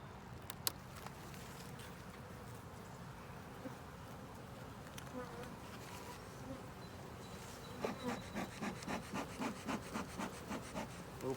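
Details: Honey bee colony in a 10-frame deep box with a honey super, opened for inspection on an overcast day: a steady low buzzing hum throughout, joined in the second half by a run of regular, rhythmic scraping pulses.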